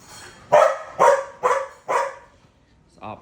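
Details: Dog barking at a cat: four sharp, loud barks spaced about half a second apart, each a short rough burst, followed by a faint brief sound after a pause.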